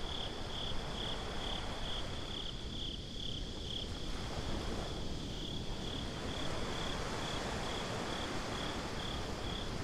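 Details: Crickets on a beach at night chirp in a continuous, thin, metallic high-pitched trill pulsing evenly, while a heavy roar of breaking waves and wind nearly swamps them.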